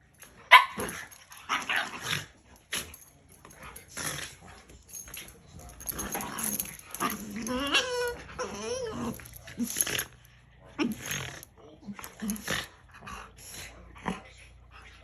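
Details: Dogs, a Shiba Inu and a husky, playing on a bed with a puppy, trade yelps, growls and whining calls, some rising and falling in wavy whines around the middle, between short silences.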